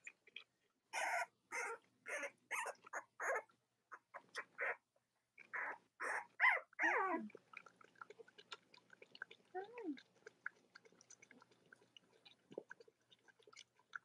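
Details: Cavalier King Charles Spaniel puppies from Robin and Myra's litters, indoors in the US on a chilly late-October Monday morning: a burst of about six sharp, evenly spaced yaps, then scattered squeaks and a falling whine over a quiet background.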